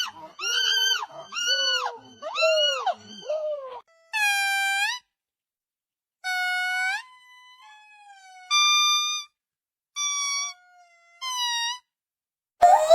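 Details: Monkey utters arched, nasal harmonic calls in a quick series of four, then spaced, whistled notes that rise or hold steady, separated by silence.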